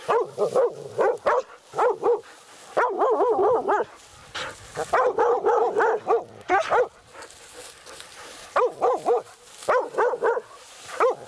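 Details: Hunting laika barking at a badger at night, its first meeting with one; persistent bouts of fast, shrill, yelping barks, about four per second, repeated in clusters across the whole stretch with brief breaks.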